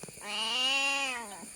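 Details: Domestic cat with her kittens crying after fish was bought, on a rainy day: one long, strained meow lasting about a second, steady in pitch and then falling away at the end.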